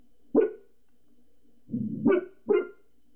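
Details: Pembroke Welsh Corgi Gizzy, inside, reacting to people next door with three quick, clipped barks, the second led in by a short low grumble.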